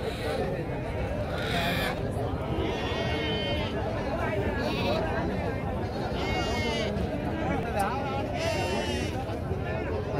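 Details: Rams brought for sale at Pebbair market bleat in several wavering, quavering cries at irregular intervals, each lasting about a second, half-buried under constant crowd chatter and nearby voices of the busy marketplace.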